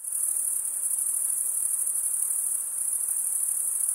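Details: Crickets, males stridulating by rubbing one wing along the toothed vein of the other, give a dense, continuous high-pitched trill that holds steady throughout, with no other sounds heard.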